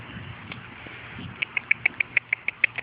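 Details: Puppies aged four and a half weeks, out on their first outing with mother Fergie: after soft rustling, a rapid series of about ten thin, high-pitched squeaks repeats in a steady rhythm, with a faint hum underneath.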